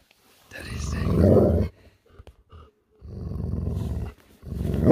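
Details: Alaskan Malamute answering back after being called a diva: two long, low, rough grumbling growls of about a second each, separated by a brief pause with a few faint clicks.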